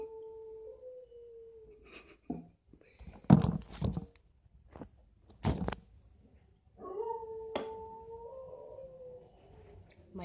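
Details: Pet dog indoors at home howling along while its owner plays Hot Cross Buns on a recorder: long, steady, mid-pitched howls that slide slightly downward, one near the start and another later, with a few loud thumps and knocks between them.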